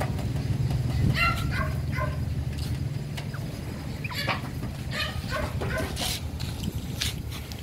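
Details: Pomeranian giving short, sharp yapping barks in scattered bursts, some closely doubled, over a steady low engine rumble and faint background noise.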